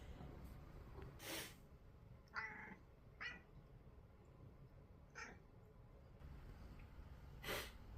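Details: Pet cat responding to someone's sniffle with short, bright meows at irregular intervals, interleaved with a couple of brief, breathy sniff-like bursts near the start and end of the quiet recording.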